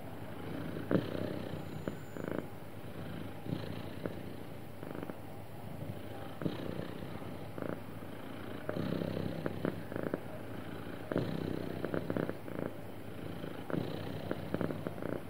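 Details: Sweet, happy pet cat purring smoothly for a long stretch, the low continuous rumble swelling into regular pulsed bursts roughly each second, with occasional slightly louder breaths.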